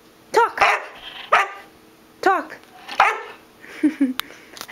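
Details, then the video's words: Black Labrador Retriever puppy prompted to talk answers with a string of short, bending yowls and woofs, each rising then falling, roughly one per second, with a person's voice between them. "Holly the black Lab Puppy talking"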